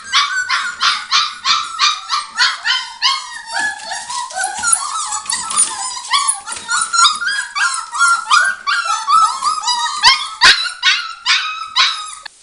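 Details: Border Collie puppies aged five weeks, Arttulan litter, keeping up a long chorus of squeaky yips, whimpers and drawn-out whines, short cries repeated rapidly with several pups calling at once throughout.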